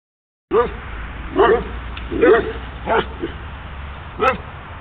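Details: Dogs barking near a horse being ridden in Snohomish, Washington: five short sharp barks at irregular intervals of about a second, with a faint background rumble.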